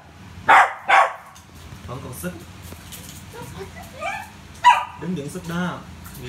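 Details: Rio the Poodle at play with a ball: two sharp barks in quick succession near the start, another bark later, set among Vietnamese voices talking and murmuring throughout.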